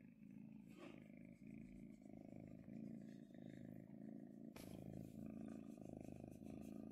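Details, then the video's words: Purring of a pet kitten, a she, enjoying being stroked; continuous deep vibrating rumble pulsing with each breath in and out, broken by a sharp rustle or tap midway. "Kitten Purring While I Pet Her!"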